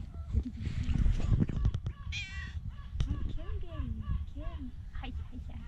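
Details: Tabby cats on an island, two of them seeking affection and food: several drawn-out, arching meows rising then falling in pitch, one after another over a few seconds, above a steady low rumble and a burst of noise at the start.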